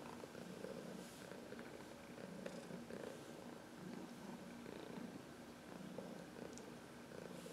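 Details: Steady, soft purring from Heidi, a senior 14-year-old cat adopted from the Humane Society of New York City, as she massages herself on someone's knuckles; the low rumble rises and falls in breath cycles roughly every second.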